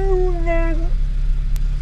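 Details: A molting Siberian husky riding in a sports car with a loud exhaust cries and howls while stopped in traffic: a short, nasal whining cry that wavers and drops, over a steady engine rumble.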